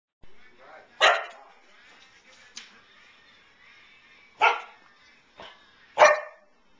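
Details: Nine-month-old female Samoyed with her feet on a kitchen counter, watching a moth, giving short sharp barks and yips, three louder ones spaced a few seconds apart with quieter whines between.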